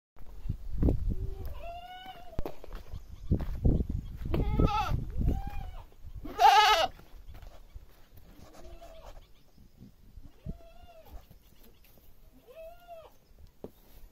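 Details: Village goat bleating several times, each call a wavering, arched, nasal bleat lasting about half a second, spaced a few seconds apart, with low rumbling handling noise early on and quiet background between calls.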